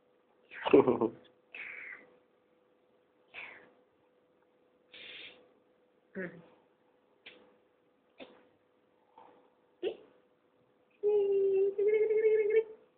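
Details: Boboy, a three-month-old Persian kitten, gives a run of short, high meows, some rising and some clipped, spaced a second or two apart. A longer steady tonal call comes near the end, and people talk nearby indoors.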